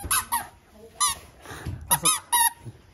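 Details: A young male Shiba Inu, born January 2019, gives a run of short, squeaky, wavering yelps, unclear whether howl or growl, a sound he often makes when showing off.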